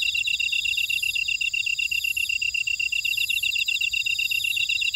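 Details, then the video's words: In a buckwheat field at Ora-dong, Jeju City, South Korea, grass insects produce an unbroken run of quick, high, even chirps, backed by sweeping shrill trills from further callers that swell and recede. "제주 메밀밭의 풀벌레 소리"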